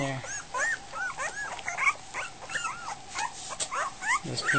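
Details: Goldendoodle puppies just over a week old whimper and squeal at feeding time as they scramble toward their food; many overlapping high, arched squeaks rise and fall in quick succession, with a man talking over them.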